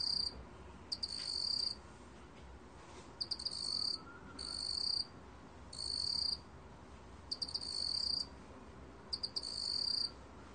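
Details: Black cricket from a 2020 National Institute of Biological Resources recording: high, shrill trilled bursts under a second long, several opening with a few separate clicks, repeated about every one and a half to two seconds over faint steady background hiss.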